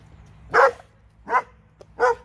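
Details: Three separate sharp barks spaced roughly 0.7 seconds apart from a pair of dogs in Alabama, with a soft low background hum between them.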